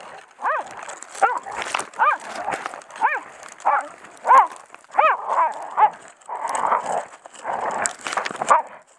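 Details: Hunting Heideterrier named Odin, of the von der Lönsmeute line, baying a wounded wild boar sow during a driven hunt: a steady run of sharp, ringing barks about every half second, with brush rustling and some hoarser, noisier barks near the end.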